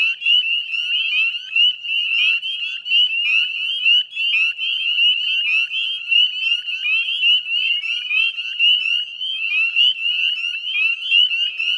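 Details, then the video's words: Northern spring peepers massed in a wetland chorus at West Chezzetcook, Nova Scotia, 18 May 2020 at dusk; piercing high peeps overlap constantly, with a few clearer upward-sliding notes standing out from the continuous ringing. "Northern Spring Peeper Chorus"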